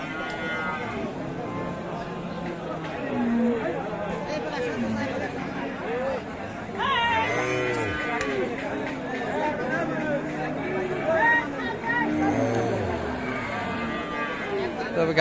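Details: Sahiwal cows with calves at the Aftabganj cattle market in Dinajpur, Bangladesh, on 8 April: several deep, drawn-out moos with rising and falling tones over steady crowd chatter, men talking and bursts of background music.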